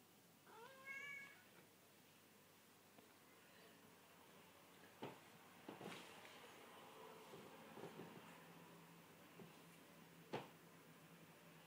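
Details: Curly, a Burmese cat getting to sleep, lets out a short wavering meow near the start, then a quiet stretch broken by light thumps, soft rustles and a brief low hum.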